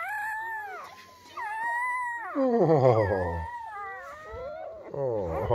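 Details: Just-born German Shepherd pups, part of Betty's litter of ten delivered overnight indoors: loud, sliding whines that fall in pitch, then a burst of rapid, quavering squeals, and more drawn-out falling cries.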